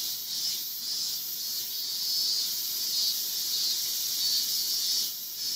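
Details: Male Yabukiri katydid resting on a roadside guardrail, Iwanuma, Miyagi Prefecture, Japan, 20 August 2021; a continuous shrill buzzing hiss that swells and fades slightly over a few seconds.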